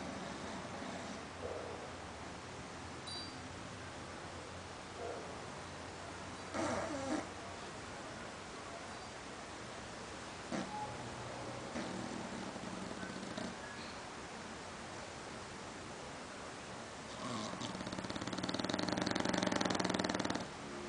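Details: An English Bulldog snores with rough, rumbling breaths that swell louder toward the end.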